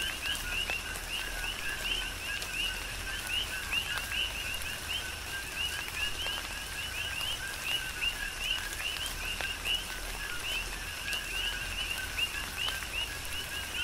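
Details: Many coqui frogs serenading through a tropical downpour on Hawaii's Big Island, their quick upward-sweeping whistled chirps overlapping without pause, with steady rain hiss and intermittent heavier drips beneath.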